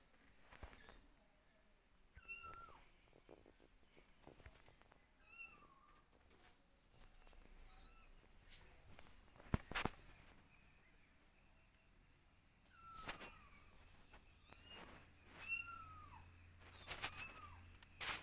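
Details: Several kittens meowing and calling for their mother while she keeps her distance and watches; high, thin meows that bend downward, in scattered bursts with clicks and knocks in a quiet room.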